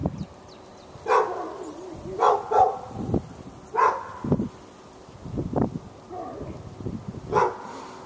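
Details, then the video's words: Backyard dog in Raleigh, NC, on February 15, 2012, barking through a fence at a neighbouring dog during hours of near-constant noise; sharp barks in quick pairs and singles, with softer low sounds in the gaps. "Barking Insanity!"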